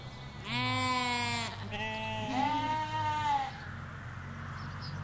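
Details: Ewes and lambs grazing in Hampshire countryside fields: a strong quavering bleat followed by a longer wavering, slightly rising bleat, richly harmonic, with distant low traffic hum throughout.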